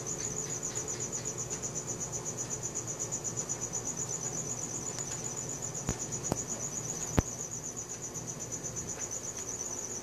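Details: Cricket sounds at night on a Samsung Galaxy S4: a sustained, piercing pulsed chirp about four times a second, broken by several sharp clicks or taps midway and a low ambient hum.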